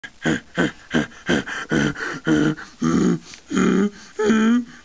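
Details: Pet donkey prompted by its owner to bray: a loud see-sawing run of about nine rhythmic honking bursts over five seconds, growing longer and higher-pitched toward the end.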